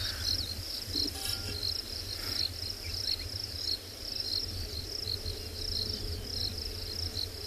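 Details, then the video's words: Many crickets call after rain around a safari vehicle at sunset in Tswalu Kalahari Reserve, South Africa, near a group of rhinos: a high, steady shrill chirring with rapid pulsed chirps overlapping continuously, low rumble of the vehicle underneath. "i don't know if you can hear all the crickets"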